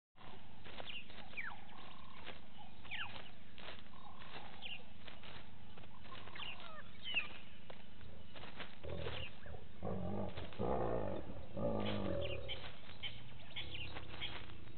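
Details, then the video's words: Lions snarling at 05:34 on 09/28/18 at Gowrie dam waterhole, Djuma Game Reserve, Sabi Sand Wildtuin, South Africa, picked up by a live waterhole camera. Harsh, low, growling bursts cluster in the second half, after thin chirps and clicks earlier. "Corrected to be lion snarls audio (not Buffalo)"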